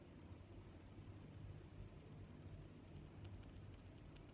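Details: Cricket chirping: crisp, shrill chirps come at steady intervals under a second apart, with fainter trills between and a dull low hum.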